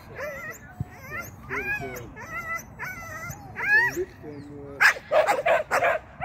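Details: Agility-training Shetland sheepdog named Sian, making a first seesaw flyer and a first tunnel attempt. High, wavering whines and near-howls repeat about every half second, then break into a short run of loud barks.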